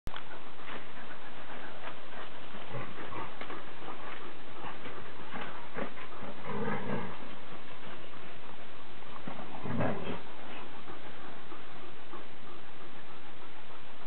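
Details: Borzoi and Irish wolfhound playing together in a home garden in the afternoon; two short, low, rough growling bursts near seven and ten seconds, with softer scattered yelps over steady rustling and thumping from the romp.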